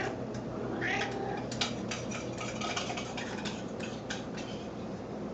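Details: Grey Grey, a female snowshoe cat, makes baby-like sounds while circling indoors, expecting to be fed; a brief, high, wavering meow near the start, then a run of light clicks and taps over a steady low room hum.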